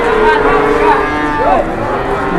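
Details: Cattle queuing to be weighed before being priced in Indonesia: layered moos, one rising then falling in a clear arc, ring out over a constant low rumble of the yard.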